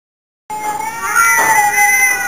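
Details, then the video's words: Two pet cats yowling together in a duet, a long drawn-out sustained wail with steady harmonics starting after half a second of silence and continuing unbroken to the end. "Duet Singing Competition"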